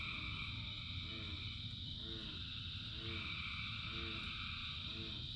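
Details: Frogs in rain: short, arching low croaks repeat about once a second beneath a dense, high, buzzing chorus and layered trills. Rain hiss fills the background throughout.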